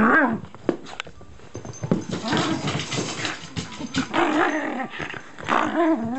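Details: A Shiba Inu switched into play mode indoors, gripping packing tape in its mouth. It gives wavering, whiny, growl-like sounds in uneven bursts over rustling and background music.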